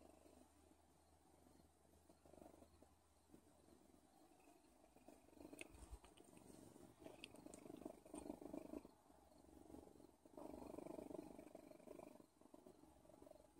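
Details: A cat named Odin purring, a low rattling rumble that grows louder over the clip in long breath cycles, with a low hum at the start and scattered clicks and rustles.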